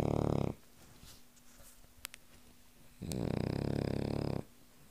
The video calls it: Cavalier King Charles Spaniel Snoring